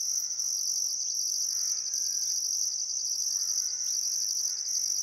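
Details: Summer crickets at sunset on the Barcoo River, Welford National Park, Queensland outback: constant piercing chirring with a pulsed upper layer repeating roughly every second, and faint drawn-out bird notes beneath.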